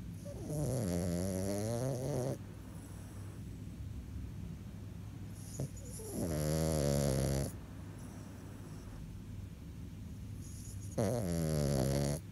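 A French Bulldog snores in loud, rumbling, buzzy breaths about every four to five seconds.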